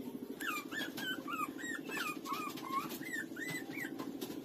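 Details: Lulu, a street dog puppy, breastfeeding from its mother: a rapid run of short, arched squeaky whimpers, each rising then falling, about a dozen in four seconds over a steady low rhythmic hum.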